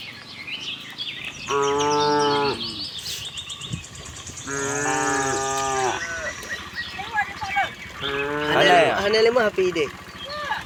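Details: Tame herd of cows roaming a cattle farm looking for fresh grass; three long harmonic moos, each about one and a half seconds, with bird chirps and twittering in the background.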